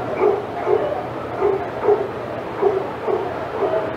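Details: At Old Friends Senior Dog Sanctuary's outside yard, senior dogs bark excitedly as Titus passes by, a fairly regular run of mid-pitched woofs, roughly one each second, over a faint low background hum.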